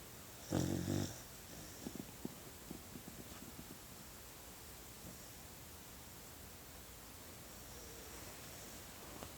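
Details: Sleeping puppy snoring indoors, one loud low rasping snore near the start followed by softer irregular snuffling breaths fading into quiet room noise.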